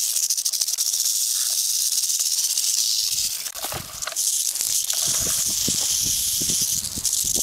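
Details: Continuous dry buzzing rattle from a rattlesnake at its den in Montana, filmed close-up; the whirring stays unbroken, dipping briefly midway, with scattered low knocks and rustles.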